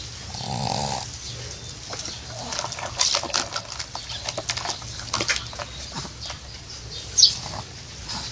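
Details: A pug wearing glasses, asleep in summer heat and snoring like a person; a low raspy snore near the start, then soft breathy rasps and faint snuffles.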